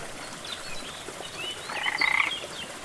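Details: Frog beside a jungle waterfall produces one rapid, rattling croak of about half a second midway, amid scattered high bird whistles and the continuous hiss of falling water.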